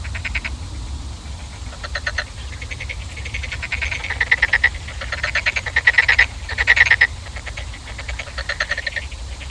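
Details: Several frogs croaking with buzzy, finely pulsed rattles in overlapping bursts, rising in loudness midway, over a constant low rumble.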